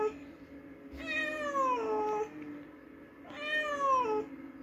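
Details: After hunting a mouse, a house cat gives two long, plaintive meows that rise briefly and then glide downward, separated by a short pause, with a faint steady hum underneath.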